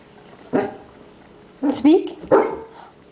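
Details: Female Basset Hound at dinner time, happy and barking when asked to speak: three short, tonal barks, the last two close together, with a person's coaxing speech about being hungry around them.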